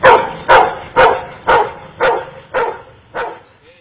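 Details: A counting-trick dog trained by an Indian man barks seven times in a steady series, each bark about half a second after the last, the final barks slightly softer and more widely spaced.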